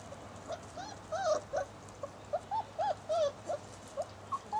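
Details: Six-week-old Basset Hound puppies playing in a garden with both parents nearby, 19 September 2009; a quick run of short, high, bending whines and yelps, several per second, some rising then falling, over a faint steady hum.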